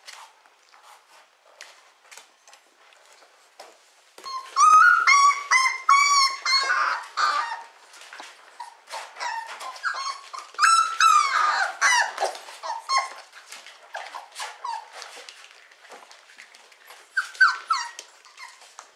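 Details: Four-week-old Beagle puppies from a kennel litter, indoors: bursts of high, wavering whines and squeaky yelps that come in clusters with short pauses between.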